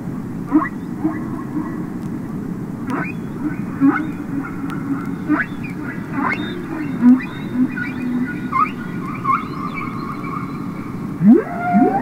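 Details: Humpback whales singing underwater, Capitol Records ST-620: irregular squeaks, short rising whoops, level whistled tones and a final steep upward sweep, spaced unevenly over twelve seconds above a constant low-pitched rushing background.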